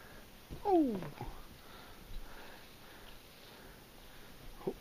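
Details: Sibling cats Dash and Violet wrestle in a play fight indoors. A single harmonic call slides downward for about half a second, then soft scuffles follow, with a brief faint sound near the end.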